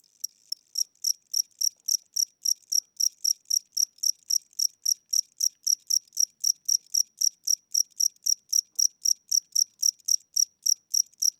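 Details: An aging, tired-seeming house cricket chirps at night with weak wings and a slower pace than before. Steady, evenly spaced high-pitched pulses repeat nearly four times a second throughout a quiet room.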